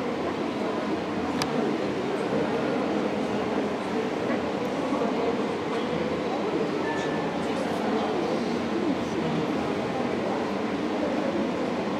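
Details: Speech over a steady rumbling, hall-like background noise, with no animal sounds.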